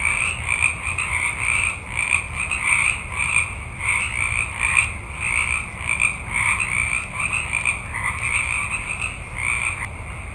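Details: Many frogs calling at night in a forest: dense overlapping croaks in pulsing waves roughly twice a second, with a low rumble of background noise underneath.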